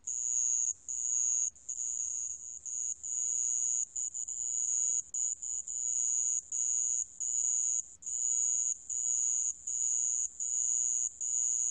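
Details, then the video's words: High, thin sand cricket trill, 2020, National Institute of Biological Resources: long unbroken stretches of chirring with irregular short pauses scattered through it, nothing else audible. "모래방울벌레, 여러번 듣기, 곤충소리"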